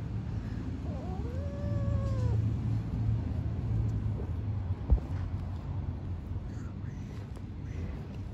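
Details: Yellow kitten playing and biting a hand; two brief arched meows rise and fall early on, over a constant low rumbling noise with a single sharp knock midway.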